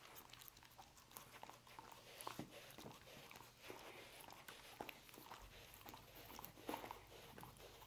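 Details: Dog eating roast beef: quiet, irregular crunching and clicking bites, some slightly louder snaps, with a faint low hum underneath.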